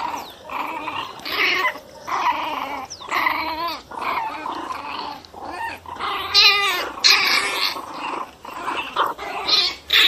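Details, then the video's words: Pinscher dogs, angry and worked up, indoors in a small room: harsh, rasping growls and snarling barks in quick uneven bursts, some rising whines, with louder snapping outbursts near the end. "Pinscher bravos puro ódio"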